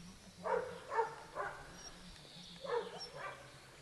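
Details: Dogo Canario puppies aged 12 weeks from the Pretorianern litter born 11 February 2010. Five short, mid-pitched puppy barks come in two bunches: three quick barks, a pause of over a second, then two more. A faint steady hum sits underneath.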